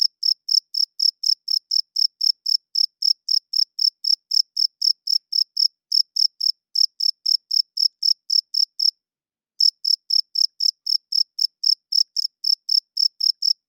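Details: Male cricket at night, wings rubbed together to court females and hold territory; a fast, even train of shrill chirps, roughly four per second, breaks off briefly near the ninth second and then resumes at the same pace.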